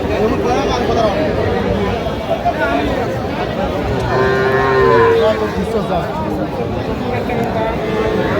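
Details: Cattle market in Feni, Bangladesh, 15 November 2025, where farmers buy the smallest young bulls and heifers. Several lowing moos come over a constant crowd murmur, the clearest a rising harmonic call around the middle.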